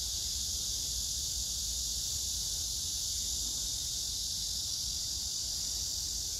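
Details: Cicadas singing on 9 August 2024 at Hwarang Park, Choji-dong, Danwon-gu, Gyeonggi-do, near the Gyeonggi Museum of Art, among pink crape myrtle blossoms; a steady, unbroken high hiss-like drone with a faint low rumble beneath.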